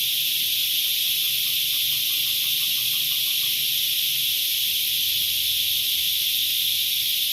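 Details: Cicadas filling the air with a dense, unbroken, high-pitched hissing buzz that holds steady throughout, with faint low rumbling underneath.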